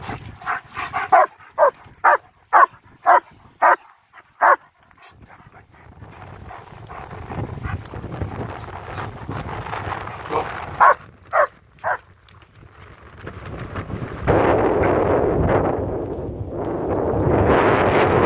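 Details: German Shepherds Nico and Zeeva on a winter wander near Hawick, Scotland, filmed on a Samsung S23 Ultra; a burst of sharp barks about twice a second, a few more barks later, then heavy wind rushing over the microphone.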